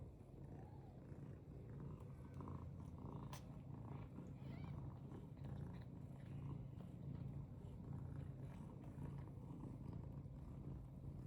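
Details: Continuous deep purring from a British Longhair cat, an even throbbing rumble throughout, with a short soft higher note near the start and a faint tap partway through.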